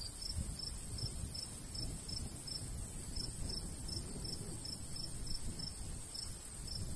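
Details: In summer countryside beside golden wheat, crickets give quick, high chirps about twice a second. A shrill, steady insect drone runs above, and a faint breeze murmurs below.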